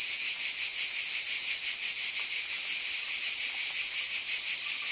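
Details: Cicadas in chorus on a summer night: a dense, unbroken high-pitched hiss with a soft pulsing of nearly three beats a second, steady in loudness throughout, with no other sounds.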